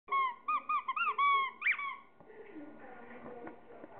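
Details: Pet Chihuahua at play time with toys, giving a run of high, wavering whines with clear harmonics over about two seconds, then quieter rustling and handling noises.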